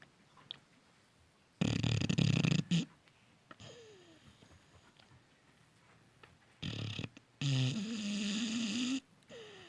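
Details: Loud snoring from a soundly sleeping Cane Corso puppy. Harsh, rumbling snores recur several seconds apart, the last drawn out with a buzzing, nasal edge, and short whistled breaths sound in between.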